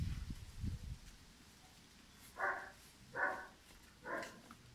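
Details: German Shepherd puppy Pirat, aged five months, gives three separate sharp barks spaced under a second apart, following a low rustling thud at the start.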